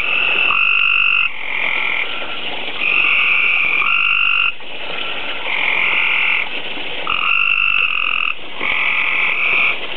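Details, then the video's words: Breeding tree frogs at a koi tank, producing tadpoles daily, croak in a loud, dense chorus of nasal, harmonic calls that overlap without pause. "tree frogs croaking.m4v"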